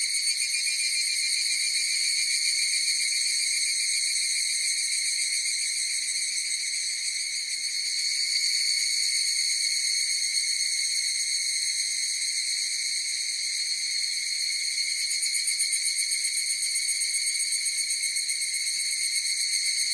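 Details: Higurashi cicada chorus sustained without a break: bright, piercing tones stacked high, trembling in quick rhythmic pulses, loudness nearly even throughout.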